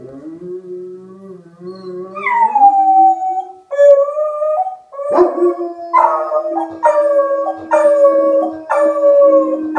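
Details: Rufus the Beagle and Axle the German Shepherd howling in response to a tornado siren: one voice starts low and wavering, then a second joins with rising, drawn-out howls that break into repeated yelping pulses.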